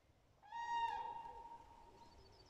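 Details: A dachshund on a walk gives a steady, high, whistle-like whine that holds its pitch and slowly fades.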